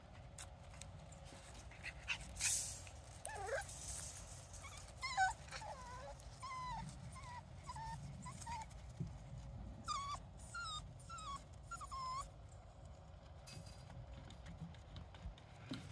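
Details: Jack Russell Terrier puppies playing outside during go-to-ground tunnel training; about a dozen short, high whiny whimpers and yips, each bending up then down, scattered through the recording over a steady low background hum with occasional rustling.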